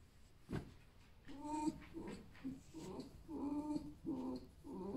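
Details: Captive pet fox, a male that had a paw operation, lying down and creaking after a lively night, not because he is unwell: a series of short nasal, harmonic creaky whines about every half second, with a human voice nearby indoors.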